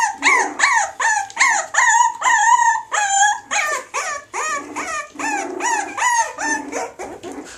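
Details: Crossbred Springer Spaniel and Jack Russell dog, mother a Springer Spaniel and father a Jack Russell, howling and whining in repeated high arching cries, some drawn out and wavering, about two and a half per second.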